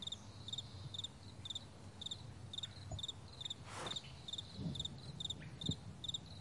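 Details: Crickets chirping in a vast meadow in the morning, high pulsed chirps in a fairly even rhythm, briefly interrupted by a rustling burst of noise midway, over a low background rumble and faint knocks.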